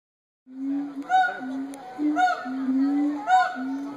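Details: Gibbons at the Cincinnati Zoo hooting and howling: steady low hoots overlapped by a few higher arched, rising-and-falling whoops.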